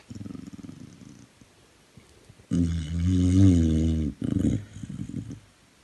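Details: Buster, a rehoming dog at Dogs Trust Leeds, asleep and snoring: a run of soft rhythmic low rasps, a pause, then a long, loud, droning harmonic snore followed by shorter rumbling breaths.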